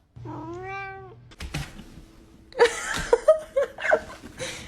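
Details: Cat in the snow with one drawn-out, wavering meow, followed by a burst of clattering, scuffling noise, short squeaks and people's laughter.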